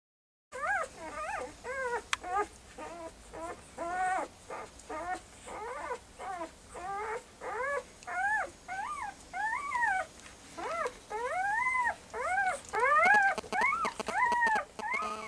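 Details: Puppies whimpering indoors: a long series of high, arched whining cries, each rising then falling, repeated roughly once a second, growing louder and more insistent toward the end, with a faint background hum.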